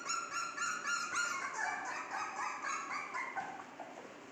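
A Cocker Spaniel puppy gives rapid, high-pitched yelping whines, about four a second, that blur into a continuous whimper.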